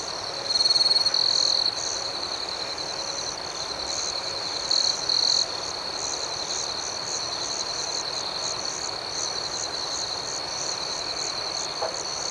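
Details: Several crickets chirp through the night, making a constant high trill with pulsing chirps above; two louder trilling bursts stand out early and near five seconds.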